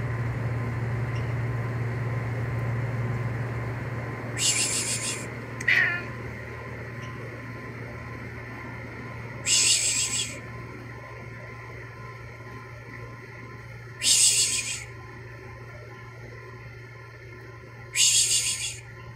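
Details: Domestic cats during mating, giving harsh broadband hissing bursts about every four to five seconds, each lasting under a second, with one brief high meow after the first burst, over a steady low electrical hum.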